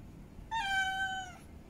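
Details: Female cat in heat calling to mate: a single drawn-out meow of about one second, steady and slightly falling at the end, rich in overtones, over a quiet indoor background.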